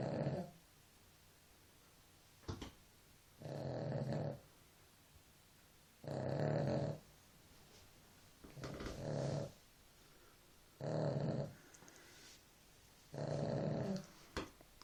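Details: Dog asleep and snoring, a rhythmic run of six coarse, low rasping breaths roughly every two and a half seconds, with a few faint clicks and rustles in the pauses.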